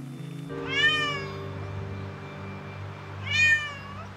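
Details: A domestic cat gives two clear meows, each a harmonic-rich cry that rises then falls, over soft music. The meow rarely happens when cats are with each other.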